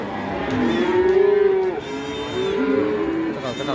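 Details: A raging male cow moos while being released, a long, deep, steady lowing that breaks briefly and resumes at a similar pitch for nearly three seconds, with people talking nearby.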